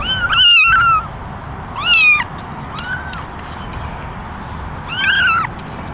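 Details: A basket of eleven meowing kittens, mostly ginger with one white, calling for attention; loud wavering mews with rich harmonics, a few softer short mews between, against quiet background hiss.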